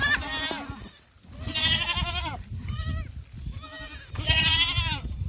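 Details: Young black goats racing around a farm in Gimhae, South Korea, in July; four wavering, nasal bleats about a second apart, some falling at the end, with low rumbling farm noise beneath.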